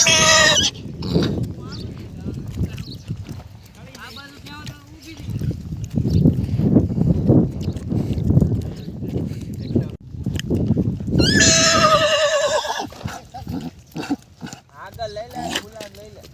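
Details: Mare with her foal: a short whinny at the very start and a longer, quavering high neigh around eleven to thirteen seconds, with men talking and urging the animals throughout and some rumbling background noise.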